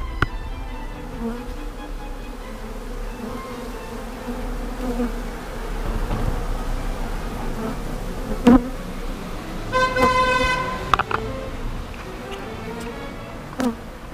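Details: Honey bees in the middle of Toulouse, France, gathered on a glass roof, giving a steady low droning hum with occasional sharp knocks and a brief tonal whine partway through.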